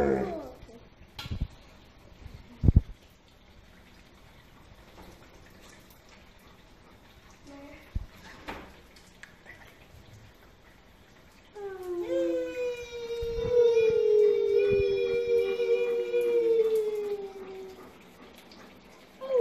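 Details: Benz, an Alaskan Malamute, joins a family singing session indoors. Quiet room sounds and a few sharp knocks come first. Then a sustained, slightly wavering howl rises and lasts about six seconds before fading.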